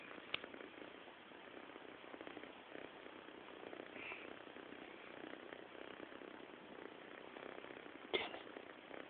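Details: A cat snores in its sleep with a low, grainy, pulsing rasp held steady, broken by a sharp click near the start and another near the end.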